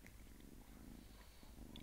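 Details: A small, sweet domestic cat purring: a steady low rumble with a fine pulsing texture, continuous and even throughout, with a few faint soft clicks above.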